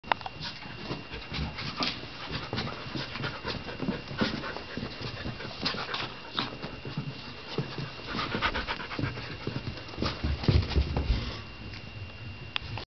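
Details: Pet dogs playing indoors, one pestering the other, which retreats to the bottom of the stairs; dense rapid panting and scuffling throughout, with thumps and bursts of movement noise.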